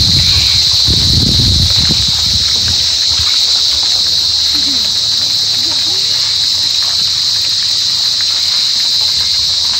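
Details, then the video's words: True cricket (Gryllidae) producing an intense, sustained shrill trill without pause, with brief low muffled noises near the start. "Cricket AKA Gryllidae sounds"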